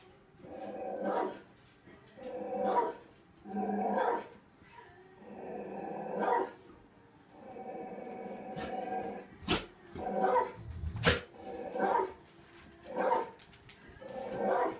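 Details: Dog barking from a television while two pet dogs, Tazz and Venus, try to find the barker; gruff barks in short bursts about every one to two seconds, with two sharp clicks near the middle.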